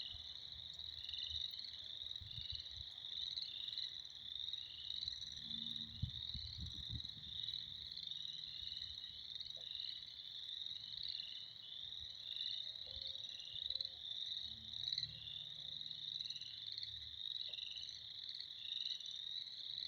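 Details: Spring frog chorus: countless frogs produce an unbroken shrill, pulsing wall of sound lasting about twenty seconds, with occasional dull low knocks and rumbles in the background.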